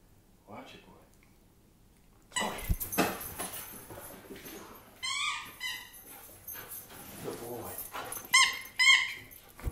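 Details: German Shepherd dog giving high, arching whines and woo-like howls in two short bursts near the end, each a quick rise and fall, with a man's voice talking and giving commands throughout.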